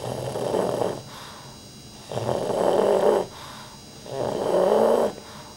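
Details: Rudy, a pet dog, asleep and snoring loudly: long rasping, throaty breaths about a second each, separated by quieter pauses, repeated roughly every two seconds in a quiet room.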